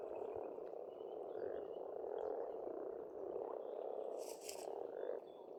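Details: Pond frogs in Estonian spring, a thick rolling croaking chorus with rising swells, birds calling faintly above and a short bright burst of birdsong near the end.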